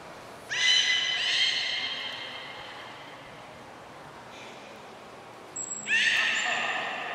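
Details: Beluga kept at Port of Nagoya Public Aquarium, recorded 3 November 2023 during post-feeding play; two bursts of bright, buzzy harmonic squeals, one early and one near the end, with a quieter stretch and a thin high whistle between.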